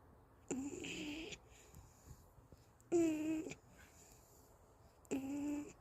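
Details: Golden Retriever Anggeum sleeping at home, tired after a walk, held in someone's arms. Three short whistling, nasal snores with stacked tones and a faint high hiss, roughly every two seconds with quiet breathing pauses between them, in a calm indoor room.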